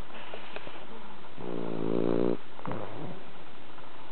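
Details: Bronson, a pet cat, sleeps deeply after tiring himself out walking at a cherry-blossom viewing. He gives one drawn-out, rumbling snore lasting about a second, with a fainter breath after it, in a quiet room.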